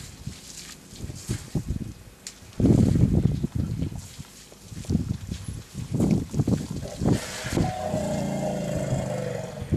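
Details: African bush elephant (Loxodonta africana) giving deep, droning rumbles in low, moaning bursts, Addo Elephant National Park, South Africa, January 2017.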